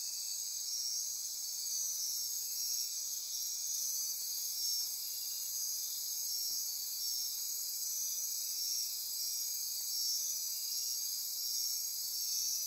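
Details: Dense insect chorus after dark in Osa Peninsula rainforest, Costa Rica, near Corcovado National Park: layered shrill trills and ratcheting buzzes run evenly without pause, steady in loudness from start to finish.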